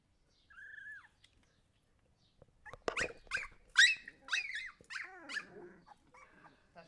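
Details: Siberian Husky puppies: a thin, slightly falling whine, then a pause and a run of sharp, high yelps and squeals that fade into softer whimpers.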